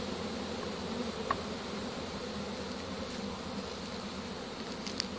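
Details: Honey bees buzz steadily as a swarm is taken with a pole bucket on 3-25-2015: a continuous low droning hum with a couple of faint clicks near the start and end.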